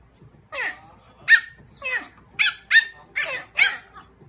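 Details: Small teacup dog giving a rapid series of about seven short, high-pitched yapping barks over four seconds, each sharp and slightly falling, with a person asking in Korean who is there right afterwards.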